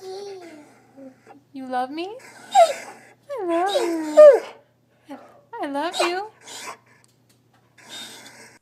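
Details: Doberman dog making wavering whines and yodel-like moans that rise and fall in pitch, several in a row over a few seconds, mixed with a person talking to it.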